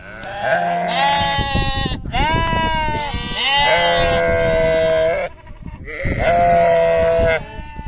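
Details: Sheep or lamb on a farm bleating over a noisy background, four long harmonic baas, some with a quavering tremble, following one another closely.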